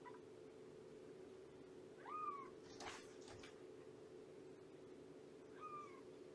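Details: Shelby, a roughly two-year-old rescued mother cat at Purrfect Pals, gives two short arched meows during a morning visit, spaced about three seconds apart, over a steady low hum with faint rustling between.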